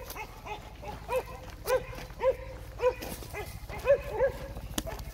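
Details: Jindo dog giving a series of short, mid-pitched barks roughly every half second, slightly irregular, with a steady low hum in the background.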